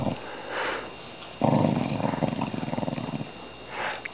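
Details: A domestic dog growls indoors: a soft breathy sniff, then a low rumbling growl lasting almost two seconds, fading into quiet breathing.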